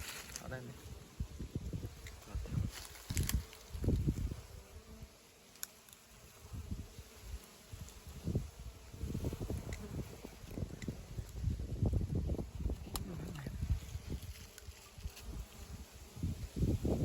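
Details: Wild bees being taken from their nest: a low, steady droning buzz runs beneath loud irregular thumps, rustling and handling knocks, with brief Khmer speech nearby.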